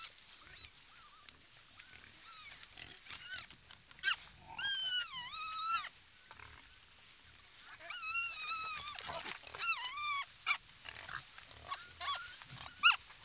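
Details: Herd of wild boar at a mud puddle in their natural habitat; a series of high, wavering harmonic squeals in bursts, with scattered snuffling and rustling between them.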